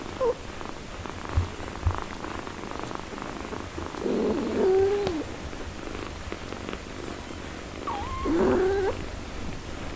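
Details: Cat with her four-day-old kittens, a mother caring for and nursing them: two drawn-out wavering meows about four seconds apart, each with a bent pitch contour, over a soft low rumble and light rustling.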